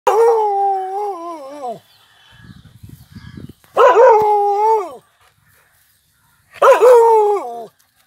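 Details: Male Pandikona dog at a farmhouse, an aggressive farm guard, gives three long, drawn-out howling calls, each nearly two seconds, holding a steady tone before dropping at the end, with a soft rustling between the first two.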